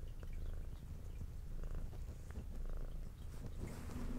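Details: Brown tabby she-cat with white underside, kept indoors, purring loudly while eating; strong steady low vibrating purr fills the clip, with occasional soft mouth clicks.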